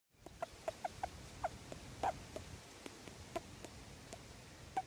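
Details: Juvenile male grey-headed flying fox in care, unreleasable due to injuries, squeaking while being petted and tickled: soft, short squeaks repeated irregularly about every half second over a quiet background hiss.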